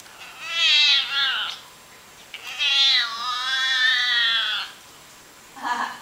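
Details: Domestic cat giving drawn-out, wavering meows: one long call near the start, a second longer wailing call in the middle, and a short sound at the end, with a person talking to it around the calls indoors.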